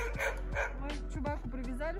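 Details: A blue-eyed shepsky dog (half husky, half shepherd) gives a few short, sharp barks while tied up as people feed squirrels and talk nearby, in a winter city park in Yakutsk at about -60 degrees.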